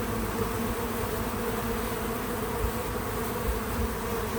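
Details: Many bees at a feeder outdoors on a small farm make a continuous, even droning buzz with a deeper hum beneath. There are a few soft knocks near the end and no voices or music.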